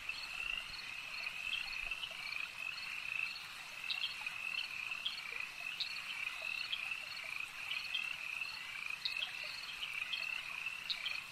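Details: At a lake, frogs keep up a thick, constant chorus of buzzing trills, with scattered louder clicks and chirps rising above the steady wall of sound.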